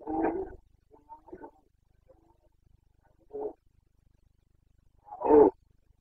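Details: Red deer stag of the Carpathians bellowing in the Bucovina forests during the September 2022 rut: a loud hoarse roar, a softer mid-length one, then another strong bellow near the end, over a quiet background.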